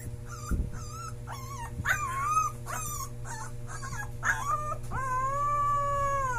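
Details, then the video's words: Puppy howling for the first time: a quick run of short, wavering whine-like notes, then one long, steady, clear howl held for about a second and a half, over a constant low hum. "My puppy howl for the first time"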